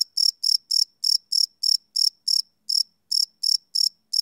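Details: Crickets chirping at night, recorded live on a Sony PCM D100 field recorder: loud, high, ringing chirps repeated about three times a second, with a brief pause near the middle, against a silent background.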